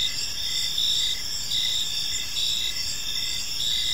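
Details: Crickets chirping on an evening in a park, a steady high insect chorus with pulsed chirps repeating roughly every half second over a continuous high buzz, faint low background rumble.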